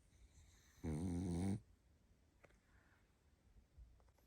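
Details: Barney, a tired pug, asleep and giving a single low, buzzy snore lasting under a second, rich in stacked harmonics, amid quiet room hush in an ASMR-style recording.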